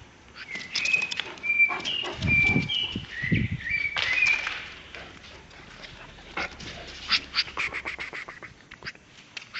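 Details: A Caucasian Shepherd Dog, aged one year and one month, in Azerbaijan, whines in high, wavering tones broken by a couple of deep, rough barks. Sharp clicks and rustling fill the later seconds.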